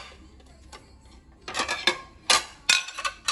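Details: Sharp ticking and clinking taps, bright and uneven, follow a quiet opening second inside a home, with no animal voice.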